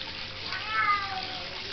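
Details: Young female Bengal cat playing with water gives a short, slightly falling meow in the middle of the clip, over a steady hiss of running water.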